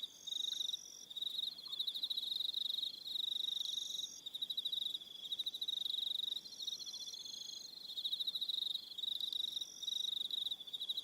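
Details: Evening crickets on Aroha Island, New Zealand, trill in a steady high chorus of rapid pulsed bursts, a few overlapping voices starting and stopping every second or two.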